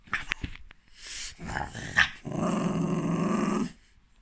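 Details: A French bulldog, apparently reacting to profanity, gives a few short huffs and then a rough, drawn-out growling grumble, with a person speaking briefly.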